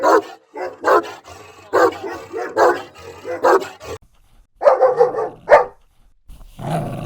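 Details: Barking dogs of assorted breeds and sizes: a steady series of rough barks roughly every half second, then after a gap a higher, more tonal bark pair and a final deep bark.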